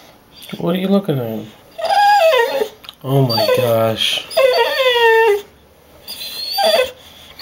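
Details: Impatient pet dog Rocky, eager to go to the dog park, cries indoors in drawn-out whines that slide downward, several long wavering bursts separated by short pauses, with a little speech mixed in.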